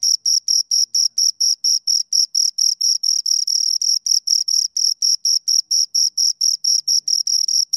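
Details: Chirping from two crickets: rapid, shrill pulses repeated roughly four times per second, a continuous rhythmic train with slight overlaps midway, nothing else audible.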